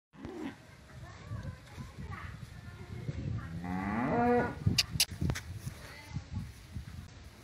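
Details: Kangayam cattle of the Mayilai (white) type, recorded in 2019: one short harmonic moo partway through, rising then falling, amid low rustling, scattered clicks and faint background noise.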